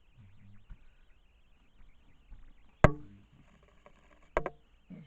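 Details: Quiet indoor room noise with low rumble, broken by two sharp knocks or clicks near the third and fourth-and-a-half seconds and a few soft taps.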